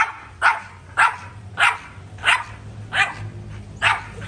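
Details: Repeated dog barks, six clear sharp yaps spaced about half a second to a second apart, each a short bright burst over a low steady background hum.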